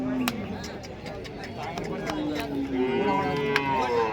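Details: Cows lowing at the Chalisgaon cow market on Saturday, 23 March: drawn-out, low, harmonic moos rising and falling among a busy crowd, with steady chatter and clicks around the animals.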